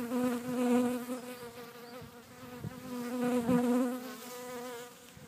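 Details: Close buzzing of a bee in a back garden in Cretingham, Suffolk, a steady low hum with clear overtones that wobbles slightly in pitch and loudness, broken by a couple of brief taps.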